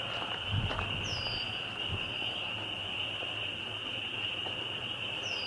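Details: Dense chorus of spring peepers, a large, loud group giving high, piercing peeps that merge into one unbroken ringing band, with a couple of brief higher chirps and light low rumbling in the background.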